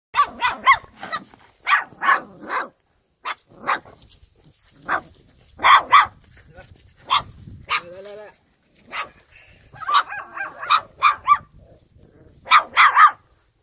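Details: Pungsan dog mother with her litter of nine puppies, one male and eight females, revisited a month after birth; sharp, bright barks come in quick irregular bursts, several per second at times, with short pauses between runs.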